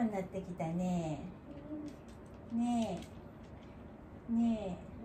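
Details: Elderly dog Wanta, cared for at home and vocal whenever awake, groans in the morning. Short, steady, low moans come about every second and a half, each a brief tonal burst, over quiet indoor room noise with faint speech.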